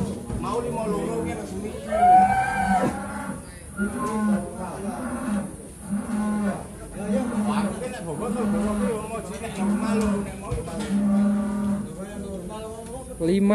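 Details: Big Pegon cattle re-weighed after an abnormal scale reading: low lowing repeated roughly every second, with a brief higher call near the start, all under continuous talking and crowd noise at the weighing site.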